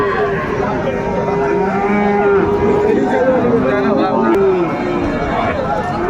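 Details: Friesian and crossbred bull calves at the Raniganj livestock market in Dinajpur, Bangladesh, 28 November 2024; several overlapping sustained moos, steady then bending downward, amid a constant hubbub of voices.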